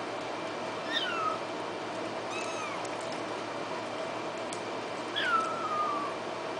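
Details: Kittens mewing indoors: three thin, high meows, each sliding downward in pitch, spaced a few seconds apart over a steady background hum.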